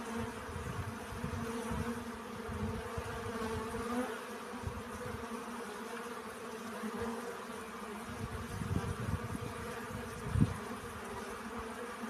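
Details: Honey bees collecting pollen: a steady, droning hum with layered overtones holds throughout, while irregular low thumps and rumbles, possibly wind or handling, come and go, with one sharp knock near the end.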